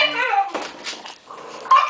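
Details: French Bulldog puppies at a kennel give thin, high whimpering whines, with people talking nearby.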